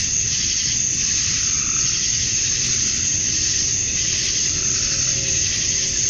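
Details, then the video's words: Cicadas at dusk on a summer night in Georgia, USA, the males chirping to attract females: a dense, steady high-pitched hiss that swells and fades slightly but never stops, with a low rumble underneath. "Cicadas at Dusk, Summer Night"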